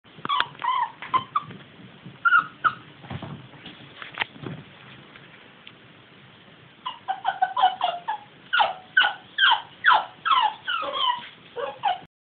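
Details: Nine-month-old Jack Russell terrier puppy whining and yipping after her owner went out without her: high, short, squeaky cries, sparse at first, then a quick regular run of sharp yelps, about two a second, indoors.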